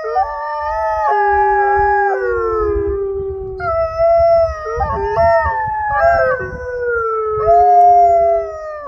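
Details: A group of wolfdogs in a loud howling chorus: layered, sustained voices weaving up and down, several dropping into low drawn-out notes, over a soft rumbling background.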